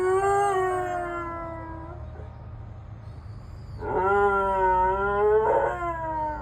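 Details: ['Akita dog, two years old, howling: long sustained tonal howls with rich harmonics, one held about two seconds, then after a pause a second louder howl rising slightly and lasting about two and a half seconds, over low background hum.']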